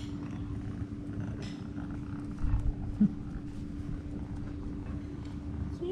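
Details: Tuxedo kitten, a stray near the beach in Istanbul, purring loudly while climbing on a person and wanting to play after eating: continuous low rumbling purr, steady throughout, with a brief click near the middle.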